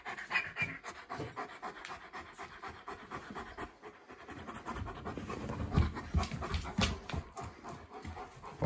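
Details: Young male East European Shepherd puppy visiting a house, panting loudly and rhythmically, close to three breaths per second, growing heavier in the second half, with brief human speech around it.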